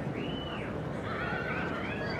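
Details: A three-year-old Welsh Cob colt gives a faint whinny: thin, wavering tonal arcs rising and falling over about two seconds, half-buried in steady broadband wind-like noise.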